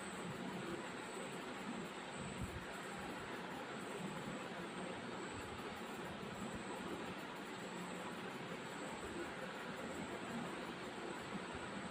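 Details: Steady broadband rumble like a passing train or vehicle fills the recording, with faint speech and no animal sound.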